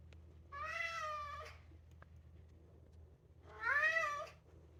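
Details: A two-year-old polydactyl Maine Coon cat gives two drawn-out, tuneful meows, each rising slightly then falling away, "singing" because he wants to go outside.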